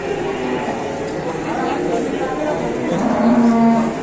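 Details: A large, fierce black bull among short-bodied cattle; a brief, level low moo rises out of continuous background noise near the end, with men talking throughout.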